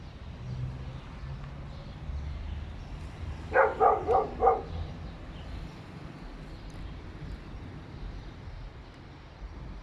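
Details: Dogs barking inside an apartment building, three animals present; a brief burst of four rapid barks rises out of background traffic rumble and low indoor noise, otherwise quiet.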